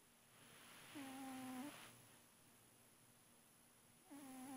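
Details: Fat male cat Felix snoring in his sleep indoors: a level, whistle-like tone with faint overtones holds for about half a second, then returns near the end after quiet breathing.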